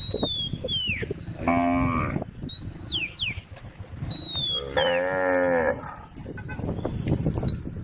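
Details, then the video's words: Tame female cow in a grass field, part of a group with a calf, gives two drawn-out, harmonic-rich moos, the first short and the second longer, with small birds chirping and whistling throughout. "sound of a female cow"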